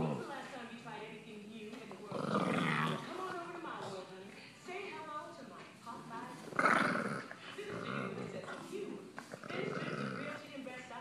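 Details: A male Boston Terrier gives low, guttural grumbling growls, irritated at being touched while relaxing.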